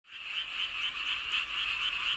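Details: Frog chorus under a full moon in Seowon-myeon, Hoengseong County, Gangwon Province, South Korea: dense overlapping croaking in a steady band, with pulsed notes repeating rapidly and merging into a continuous trill.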